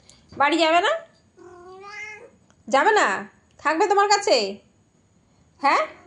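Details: Cat voicing loud, wavering meows, one softer steady call in the middle, then two strong bent meows and a brief final cry, all in a small quiet indoor space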